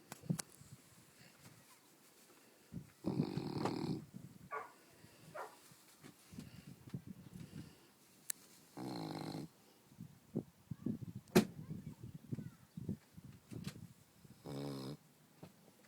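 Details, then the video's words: Newfoundland dog, nearly 14 months old, snoring while asleep and exhausted after running on a beach. Loud, rough, rumbling snores last about a second each and come several seconds apart, with small snorts and clicks between them. "Let sleeping Newfs Snore"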